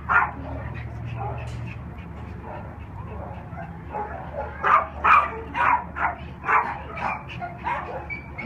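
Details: Unaltered male Cairn Terrier and Lhasa Apso cross, three years old, black and tan, housed at an animal shelter; quiet murmuring noise at first, then a run of loud yappy barks roughly every half second.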